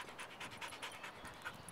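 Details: Worn out after yard training on a warm 80-degree day, Indio, a half Rottweiler, half shepherd mix that may be part border collie, pants rapidly and steadily, with even breathy bursts about every fifth of a second.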